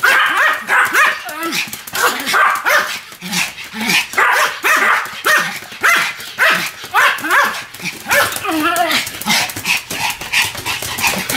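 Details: Two Pomeranians, Sam and Marine, barking together in a duet, overlapping sharp high yaps with whiny, arching yelps, dense and continuous throughout.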